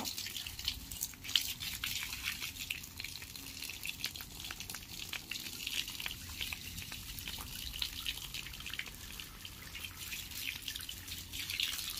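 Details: Running, dripping water in a small indoor room, hissy and trickling with frequent splashes; no animal voice.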